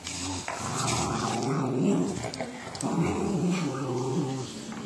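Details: Pet Patterdale terrier set against a Border, giving a deep, continuous throaty growl that swells and eases in two long surges, rough and rasping throughout.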